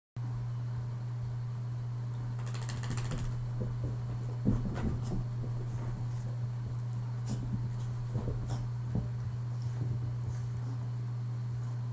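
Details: A low electrical hum fills a small room, broken by occasional scratching and thumping, with no animal voice.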